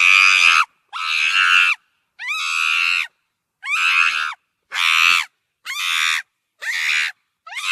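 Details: Loud, grating screeches from a monkey, eight bursts in under eight seconds, some starting with a rising sweep, separated by brief silent gaps.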